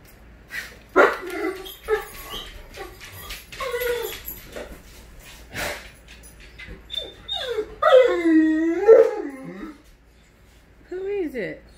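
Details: Great Dane named Scooby greeting its owner arriving home, excited: high whimpers and yips followed by long wavering howl-like whines rising and falling, with a woman's voice speaking between them indoors.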